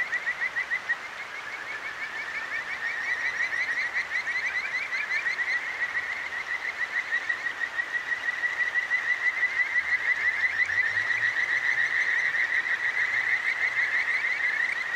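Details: Kajika frogs, the clear-stream songstress, heard at night in Akigawa Valley, Tokyo, through a ZOOM H6: a sustained, shimmering chorus of rapid rising chirps grows steadily louder, over constant stream noise and a faint low rising hum midway.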